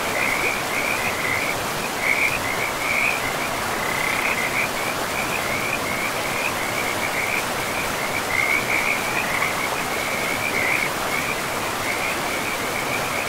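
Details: Chorus of frogs by a forest river in pristine woodland, their high, rattling croaks running in near-continuous overlapping bursts, brighter peaks around two, three and ten seconds, all above a steady hiss of rushing river water.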